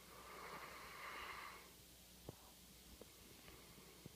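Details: Sleeping male Labrador service dog resting after his working day gives one buzzy, rattling snore lasting just over a second, followed by quiet breathing and a few faint clicks in a small room.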